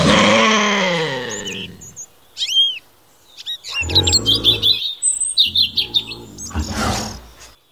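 A lynx gives a loud, harsh yowl that falls in pitch, then low rumbling growls, with birds chirping.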